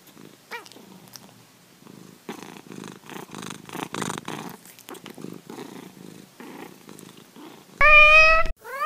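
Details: Domestic cat purring in steady rhythmic low rumbling bursts for several seconds, with a faint short chirp at the start and one loud, sharp, harmonic-rich meow near the end.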